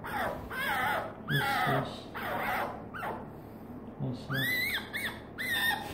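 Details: A female fennec fox named Hesoten coos affectionately at her owner, giving a series of thin, wavering, descending whines in quick bursts, one rising-then-falling arched cry near the end, and brief low human murmurs between them.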